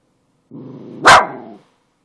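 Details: Pet dog barking indoors: a low, droning whine-like tone with one short, sharp, loud bark bursting out in the middle, the whole sound ending after about a second.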